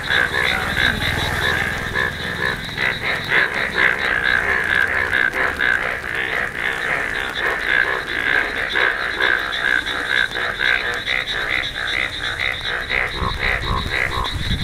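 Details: A chorus of Indian bullfrogs, noted for their yellow colour, gives rapid, overlapping nasal croaks, about two per second.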